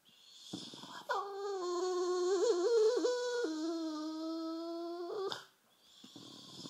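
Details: Sulking on a sofa, the bulldog Rufus, half asleep, lets out one sustained, nasal whining moan of about four seconds, wobbling briefly in pitch midway, with breathy snorts before and after.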